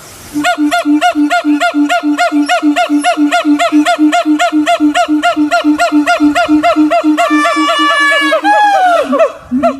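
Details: Siamang. Loud, nasal barking notes from a siamang repeat about three or four times a second in a steady rhythm. Near the end the calls quicken and sweep upward into an excited, wavering climax.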